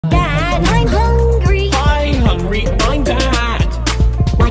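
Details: Loud hip hop music with rapped and sung vocals over a heavy beat throughout, and no animal sound.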